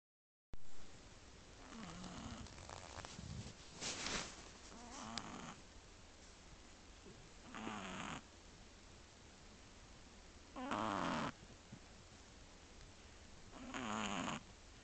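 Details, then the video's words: Shih Tzu puppy, 1 month 3 weeks old, asleep in bed with its two sisters indoors, July 2011: breathy, rasping snores in irregular bursts, some short and clustered, others spaced about three seconds apart, over a quiet room hiss. "Shih Tzu puppy snoring with sisters"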